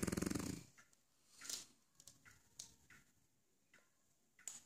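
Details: A French Bulldog in his dog bed gives a loud, rattling snore, followed by soft rustling and scratching sounds; French Bulldog snoring.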